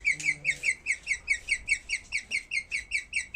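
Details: Skinny guinea pig after giving birth making bird-like sounds: a fast, steady series of high chirps, about two or three per second, each a short sharp note; a woman speaks softly at the start.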